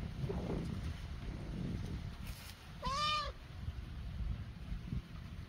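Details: One of two tiny stray kittens newly arrived in a backyard gives a single clear, arched meow midway through, rising then falling, over steady low background rumble and a faint high hum.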